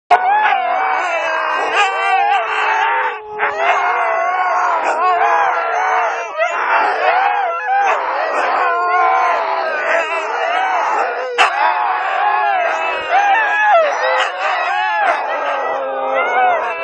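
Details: Two Siberian huskies howl together before training in long, wavering, overlapping tones that rise and fall, like wolves.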